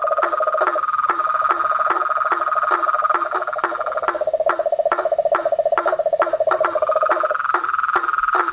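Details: Chorus of frogs and toads, a symphony of toads, frogs and treefrogs: dense pulsed trilling in two bands, a higher steady trill and a lower one that drops out near the end, with sharp clicks repeating roughly twice a second throughout.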